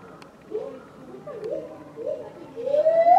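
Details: Captive lar gibbon Mitsu at Tama Zoological Park, February 2020: three short upward-swooping hoots, then a loud, strongly rising whoop climbing to the end. Faint background hum.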